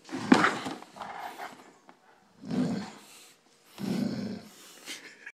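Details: Bernese Mountain Dog indoors in a small room, eager for Coca Cola, giving three low grumbling growl-moans, each about a second long with rough harmonics, separated by short pauses.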